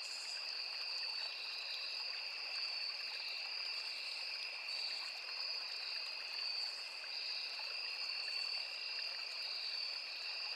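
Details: Crickets with cicadas and other insects in a forest beside a small river: a dense, unbroken high trill in two steady shrill bands, many callers overlapping, over soft trickling water.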